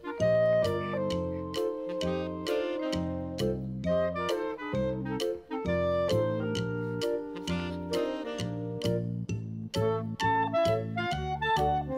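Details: Instrumental music with bright woodwind- and brass-like melodies over a steady bouncing bass, with no animal sound heard.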